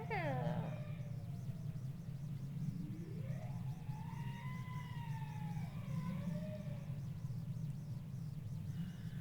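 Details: Bowhead whale song producing two sounds at once: a quick falling tone, then a long, slowly rising and falling moan with higher parallel tones, over steady low, fuzzy ambient ocean noise that is somewhat elevated.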